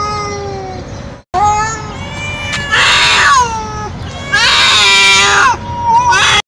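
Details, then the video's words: Young male street cat calling for a female in heat, giving wavering drawn-out yowls that rise and fall, broken by bursts of broadband hissy noise and a brief silent gap, steady low hum throughout. "Male Cat In Heat Sounds | Male Cat Calling Female | Male Cat Mating Call Sound Effect"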